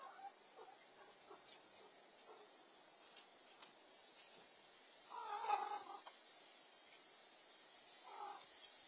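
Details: Rescued black stray cat, leader of a stray family, stealing other cats' food after eating his own; a faint, drawn-out harmonic meow near the middle, a shorter one near the end, amid quiet indoor rustling.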